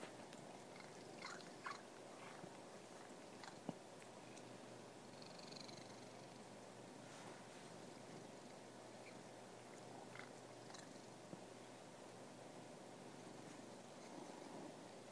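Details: House cat giving a continuous low purr, an even buzzing rumble, with occasional faint clicks and small mouth or chewing-like noises scattered over it.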